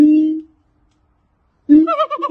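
A siamang gives a steady hooting note, pauses, then bursts into a wavering, rising series of loud calls.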